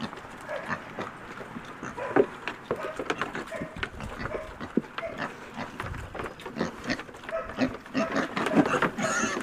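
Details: Piglets at breakfast feeding, soft low grunts and snuffling scattered through, with clattering and rustling of feeding, a squeal or two near the end.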